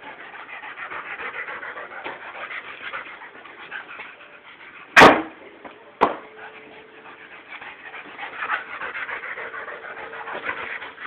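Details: Pet dog jumping repeatedly and not stopping, heard panting: steady rapid breathy huffs throughout, with one sharp loud knock near the middle and a second softer one a second later.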